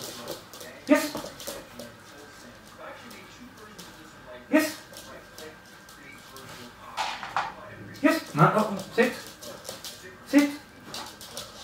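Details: Weimaraner puppy during a basic obedience session indoors; short whimpers and soft barks come in brief bursts near the first, fifth, eighth and tenth seconds, with a person talking throughout.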